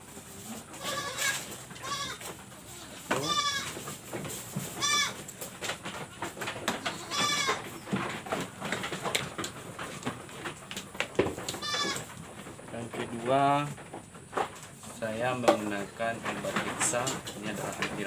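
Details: Goat ill with a cough, runny nose and breathing difficulty: a series of wavering, harmonic bleats scattered every few seconds, interspersed with short sharp bursts and clicks, with a man talking at times in the background.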